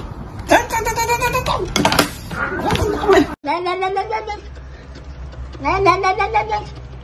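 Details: Pet cat meowing indoors: drawn-out, wavering meows with a rise and fall, one after a pause and another a couple of seconds later, mixed with human talk and knocking.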